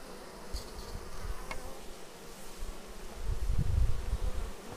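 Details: Honeybees arriving at their hive, recorded on an action camera: a steady low buzzing hum of many bees, with louder swells as insects fly close past, and faint scattered clicks above.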